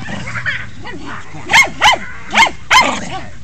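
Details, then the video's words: Skippy, a Jack Russell Terrier, acts tough when his legs are touched but never bites. He gives four sharp, high, yappy barks in quick succession over about one and a half seconds, after a person's voice speaks nearby indoors. "Skippy acting tough"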